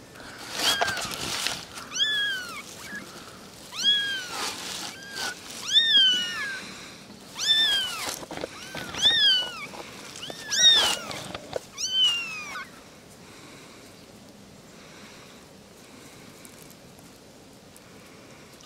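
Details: Three little kittens meowing back and forth, with a run of about nine short, high, arched mews over twelve seconds, then quiet with soft background rustle.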